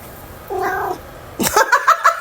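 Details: Domestic cat heard at home: a faint, short tonal mew, then a noisy burst followed by several quick, strained harmonic meow notes, with a person's voice nearby.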